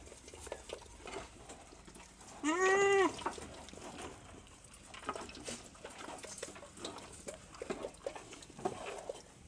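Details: One-month-old goat kids learning to eat corn offal; a single clear bleat with a harmonic stack rises then levels off near the three-second mark, lasting about half a second, amid steady clicking, rustling and chewing noises.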